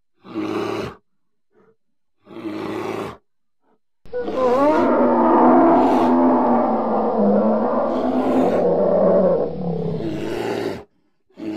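A polar bear gives deep, rumbling roars, two short bursts and then a long wavering growl.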